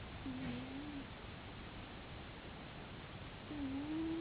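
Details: Domestic cat snoring: two faint, low, wavering tonal snores separated by about three seconds, over steady background hiss.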